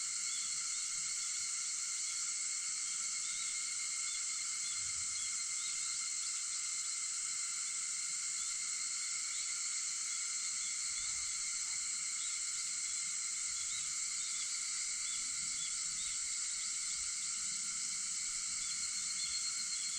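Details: At 4:50 a.m. on August 4, cicadas keep up a continuous high, whining drone for twenty seconds. The layered tones never pause, and there is little else beneath them.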